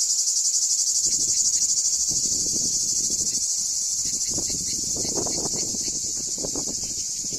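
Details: Cicadas sing their summer song at the archaeological site of Ancient Corinth, Greece: a loud, steady, high-pitched buzzing drone that pulses rapidly and rarely pauses.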